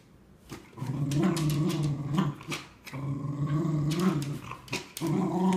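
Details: Two Cardigan Welsh Corgis, a female aged 3¼ years and a male of almost 9 months, play tug-of-war over a new toy; one growls low and rumbling in long, wavering bursts.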